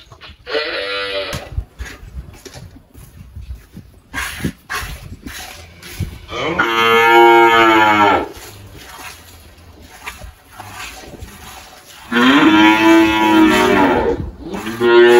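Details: Malhada, an 18-year-old Girolando dairy cow that recently calved on a farm in Anápolis, Goiás, Brazil, moos three times, a short call first and then two longer, rich, drawn-out bellows spaced several seconds apart.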